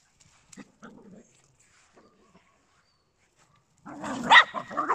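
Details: Papillons and a Yorkshire Terrier, small indoor pets: quiet ticking and faint soft sounds at first, then a burst of high, harsh yapping and growly barking near the end.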